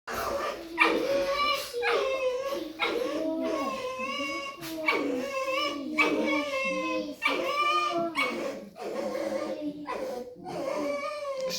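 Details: A pet red fox named Lesya, apparently protesting at being woken and not wanting to go outside, gives a run of high, squeaky whining calls one after another.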